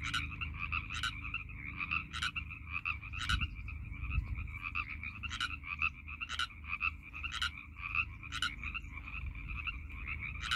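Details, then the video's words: A dense chorus of Northern Pacific tree frogs in a pond at Iona Beach Regional Park near Vancouver airport on March 11, 2021, with many overlapping raspy two-part croaks repeating steadily. "Chorus of Pacific Tree Frogs"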